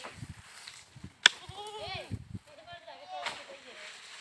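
A goat gives a wavering, nasal bleat that rises and falls, with a sharp click and low thumps.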